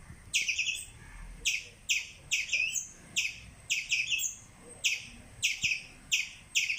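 A squirrel gives sharp, high chirps, repeated in quick bursts every half second or so.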